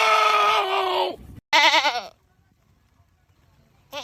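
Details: Screaming goat giving a long, steady, nasal bleat, then a shorter quavering cry after a brief pause, followed by two seconds of quiet before another cry begins.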